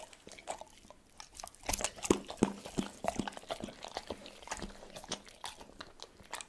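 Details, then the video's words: Pet dog eating cordon bleu indoors: irregular wet crunching and chewing clicks, several per second, with soft smacking in a quiet small room. "Dog reviews FOOD cordon BLEU - ASMR Eating ( No Talking) EATING SOUNDS"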